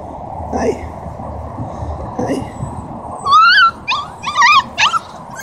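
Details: Near-quiet opening with faint low noises, then a Siberian husky in Oregon breaks into short wobbling whines and quivering cries in the final two seconds, three or four bursts in a row.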